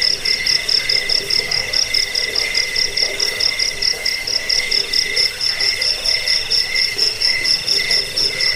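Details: Shrill cricket chirping, meant to scare off rats, aid sleep and serve as a model for songbirds: high pulsed bursts about twice per second, with another steady trill running underneath throughout.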